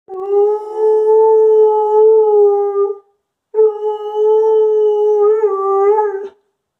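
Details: Pet dog howling indoors on a stairway in reaction to an ambulance siren, while a second dog watches quietly; two long, steady, tonal howls of about three seconds each with a short pause between, the second wavering at the end.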